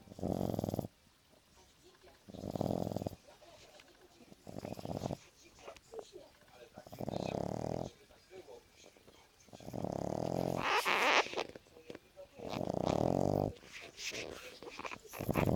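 A French Bulldog snores in deep, rasping breaths roughly every two seconds.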